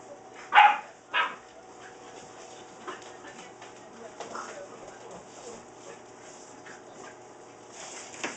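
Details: Seven-week-old Saint Bernard puppies playing wildly in a kitchen; two sharp, loud yips close together in the first second and a half, followed by quieter scuffling and faint household noise.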